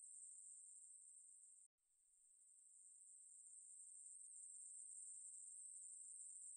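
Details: Very high, hissing buzz of a Ruspolia katydid from a 2020 National Institute of Biological Resources recording, cut by a brief silent gap near the second mark, then resuming softly and swelling back to full strength.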